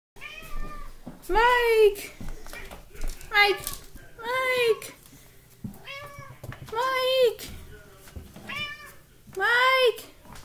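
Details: Talkative pet cat meowing indoors in a small room: about seven loud, drawn-out, rising-then-falling meows with a rich harmonic tone, spaced every one to two seconds, with a person's voice calling between them.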